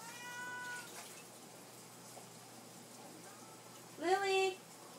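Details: Domestic cats indoors begging for their supper. A faint early meow is followed by silence, then one loud, short rising-and-falling meow near the end. A low room hum runs underneath.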